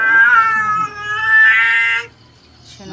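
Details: A domestic cat being bathed, water poured over its head, gives a long, drawn-out, strongly tonal meow that wavers and then rises before breaking off after about two seconds. Near-quiet follows.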